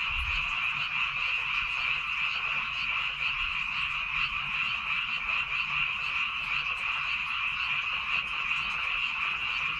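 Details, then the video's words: Many frogs calling together in rice fields on Baengnyeongdo Island. A dense, continuous croaking chorus forms a steady high buzz, with no gaps and no other clear sounds. "백령도 논에서 우는 개구리 울음소리"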